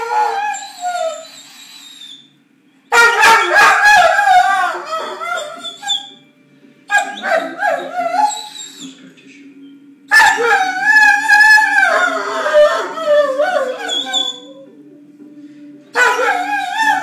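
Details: A Weimaraner wanting its ball vocalizes in drawn-out, wavering howls and whines broken by yips, in several loud bursts.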